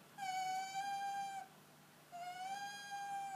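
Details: Tame fox, tired and displeased at being woken indoors, gives two long steady whines, each over a second long and evenly pitched, with a short pause between them.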